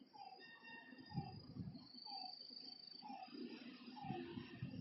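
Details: Lakeside frogs at night utter short, dropping mid-range notes about once a second, joined by occasional lower thuds and a long high whistle-like insect tone across a persistent buzzing background.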